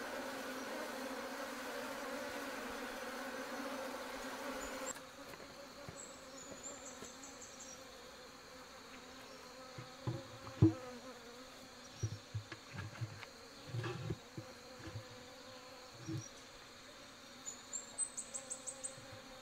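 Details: Wild honey bees kept in a rotten tree trunk in the forest give a dense, steady hum that opens the clip, then fades under woody knocks and taps.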